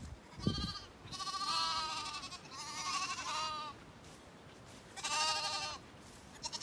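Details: Hungry Zwartbles bottle lambs, roused from a snuggle pile as their owner approaches, bleat for milk: three long quavering, vibrato-laden cries separated by short pauses, with a thump near the start.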